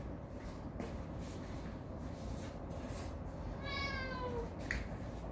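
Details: Domestic cat at mealtime, during a first shared meal with several cats after moving to a new home. A single descending, harmonic meow rises out of a steady low hum about two-thirds through, with faint clicks and household clatter around it.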